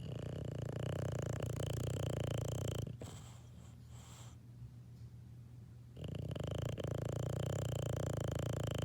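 A sleeping English Bulldog puppy snores in a deep, steady, rattling rumble.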